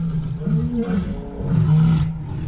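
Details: Lions of a pride gathered on Dead Tree Island, Moremi, calling to be heard by rivals. Short, deep grunting roars rise and fall twice in quick succession, with a faint rumble behind.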